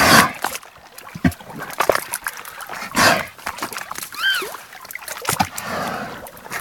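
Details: Beluga whales singing: a short, bright whistle rises and then falls with clear overtones, set among bursts of broadband clicking and crackling, with splashy water noise throughout.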